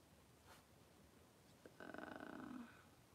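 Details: A Cavalier King Charles Spaniel, Daisy, whelping six puppies in two hours indoors: a low, throaty, pulsing moan lasting about a second, rough and buzzy, set in a quiet room.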